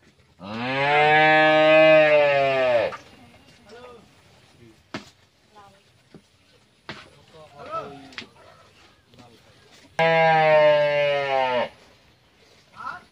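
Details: A 12-month-old Friesian heifer calf on a dairy farm gives two long, loud, rich moos, the first lasting over two seconds and the second shorter, with a man talking and clicking sounds between them.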